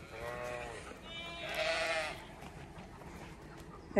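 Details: Male Zwartbles lamb with a deep voice calling while looking for his mother on a regenerative farm in County Kilkenny, Ireland; two harmonic bleats in the first two seconds, the second louder and wavering, over background music.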